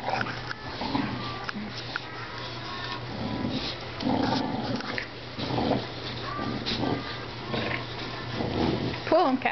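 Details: Two dogs, a 5-month-old blue pit bull and Cash, a 2-year-old 70-pound English bulldog, playing tug-of-war indoors; rough, low growling and scuffling noises run throughout, with people talking over them.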